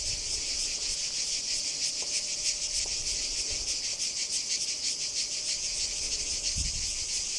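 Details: Cicada singing at Kardamyli in 2013, an intense shrill buzz throbbing in quick regular pulses, with a thin steady tone and a brief low knock near the end.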